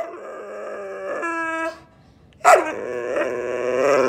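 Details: Hungry, grumpy whippet just woken up, voicing a sustained, wavering, whiny moan, a brief steadier tone, a short silence, then a sharp onset into another long, warbling grumble.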